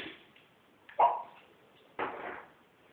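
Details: Corgi named Neville Longbottom, kept as a pet indoors, vocalising to demand belly rubs: two short, harsh bark-like bursts about one second apart in a quiet room, with nothing else audible.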